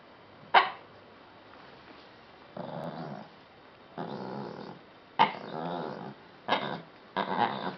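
A Lhasa Apso 'talks' back to its owner with sharp yips and drawn-out, wavering growly moans.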